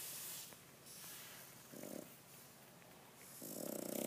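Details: Sleeping Boston Terrier snoring: two rough, noisy breath snores, one brief in the middle and a louder, longer one at the end, separated by quiet breathing in a still room.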